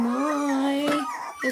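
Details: AKC miniature dachshund puppy, one of a snuggled-up litter that includes Chloe, Bella and Diesel, kept indoors. It gives a steady whine about a second long that rises slightly and ends in a short, higher squeak.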